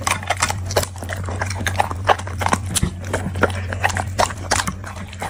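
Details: A dog eating produces irregular crunching and chewing clicks, several per second, over a steady low hum in the background.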